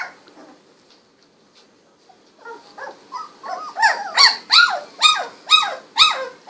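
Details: Golden Retriever puppies, sixteen days old with eyes recently opened, wiggling and walking about; a series of high, rising-then-falling squeaky whines and yelps, growing louder and repeated about twice a second after a quiet start.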